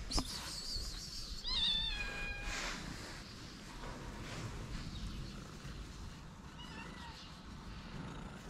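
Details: Abandoned kitten in Morocco, very afraid of a person, gives one loud wavering meow that bends upward, then a faint short mew several seconds later, against a background of rustling noise.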